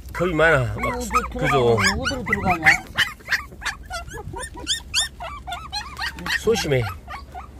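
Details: A human voice opens, then puppies aged 24 days keep up a steady run of high, curved squeaks and yelps, several overlapping, with a fuller cry near the end.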